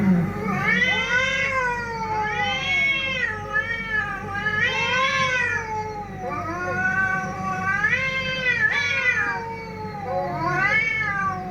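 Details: Cats fighting: continuous loud wavering yowls, each swelling upward then falling, overlapping in a long tense exchange with rich harmonics.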